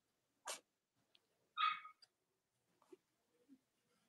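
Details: Cavalier King Charles Spaniel puppies on a chilly Monday morning whelping live stream in the US, three nursing mothers present; a soft rustle, then one brief harmonic squeak rising in pitch, followed by faint small shuffling sounds indoors.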